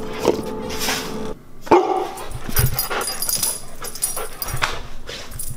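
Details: A Siberian Husky crunches and chews beef cheek and chicken loudly, with a couple of brief high whines between bites, as it is fed them as a reward.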